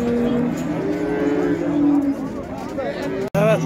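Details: Heifer at the Şarkışla livestock market where sacrificial cattle are sold: a drawn-out, low moo lasting about two seconds, then people talking, a sharp click and a brief voice.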